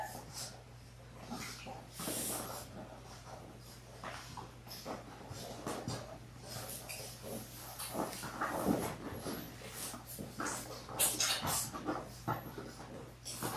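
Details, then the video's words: Six three-week-old Labrador Retriever puppies, born January 18, 2022, play indoors in a puppy play room on February 12. Soft snorts, sniffing and scuffling noises come irregularly against a steady low hum, with faint clicks throughout. "Puppy Cam PLAY ROOM! Adorable Labrador Retrievers - 3 Weeks old"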